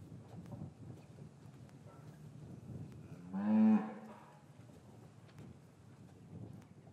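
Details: Cattle in a traditional English cattle yard on a winter's afternoon, calves separated from their mothers, recorded with a matched pair of microphones; one short, loud, harmonic moo near the middle over quiet yard rustling and shuffling.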